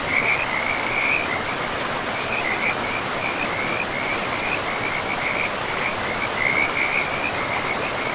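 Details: A chorus of frogs calls by a forest river. Bursts of high, crackling trills follow one another almost without a break, above the constant broadband roar of running water.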